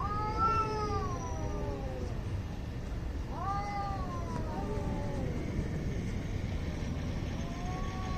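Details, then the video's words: Angry cats squaring up for a fight in India, with long wavering yowls that rise and sag. One starts at the outset, another comes near three seconds, and a fainter one near the end, over a low rumbling background. "CAT FIGHT ANGRY CATS - Making weird noise"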